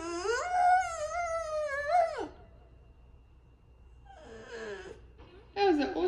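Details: French Bulldog Haru howling into her microphone: a two-second sustained wavering howl, then quiet, a faint whine and a short yelping cry at the end.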